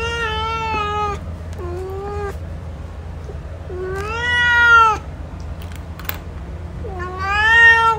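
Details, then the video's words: Series of long meows from Hanzell, a male cat, roughly every three seconds, some short and lower, others loud and drawn out with a rising start, over a constant low hum. "MALE CAT SOUND | Cat Hanzell Sound"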